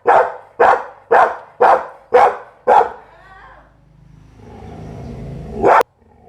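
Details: Pit Bull barking six times in a steady run, each bark sharp and loud at roughly half-second spacing, followed by a low rumbling background and a single sharp click near the end.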